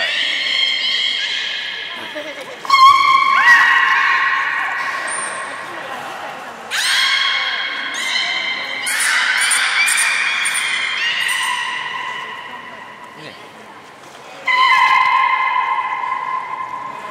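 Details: Beluga whale at Port of Nagoya Public Aquarium, 3 February 2019, during fish feeding and the play time afterwards: loud harmonic squealing calls starting abruptly with a click, held one to three seconds, repeated several times amid crowd chatter in a large hall.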